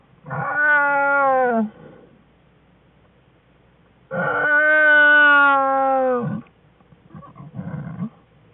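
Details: Den scene from February 21, 2013, as Jewel's black bear cubs begin playing and Jewel joins in: two loud, drawn-out, harmonic wailing cries, the second longer and falling at its end, then brief broken grunts.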